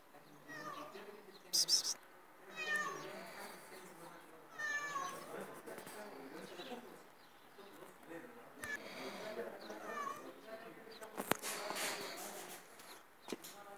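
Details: A cat meowing in several short, high, bright meows spread through the recording, some rising then falling, with people talking softly in the background between the calls.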